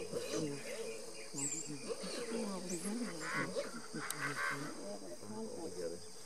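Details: Giant otters, including a baby coming down a hill, on the Tres Irmaos river trade a busy run of wavering, whiny squeals and hums, several voices overlapping.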